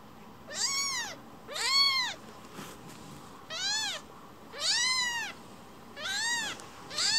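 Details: Spoiled rescued kitten coming back for strokes: five loud, arched, bright meows spaced about one to one and a half seconds apart, each rising and falling, with quiet room tone between.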